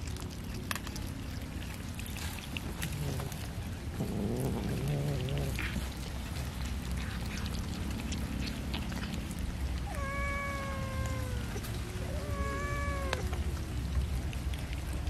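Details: While eating fish, a cat produces two clear falling meows late on, after earlier muffled rough sounds, with a steady hiss and low background rumble throughout.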